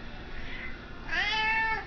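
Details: Domestic cat demanding food: a soft murmur first, then one clear, loud meow that swoops upward and holds a steady, harmonic-rich pitch for about half a second.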